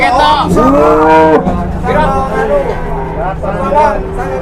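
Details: Large cattle in the morning, a deep drawn-out moo with a rising then falling arch lasting about a second, followed by shorter overlapping lows, with people talking and background bustle throughout.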